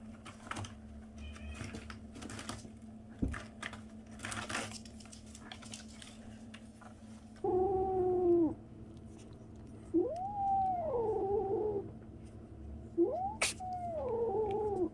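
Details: Kitten 37 days old making strange noises indoors: after seven seconds of clicking and tapping, three drawn-out, wavering mews arch up and down, each about a second long, spaced two to three seconds apart.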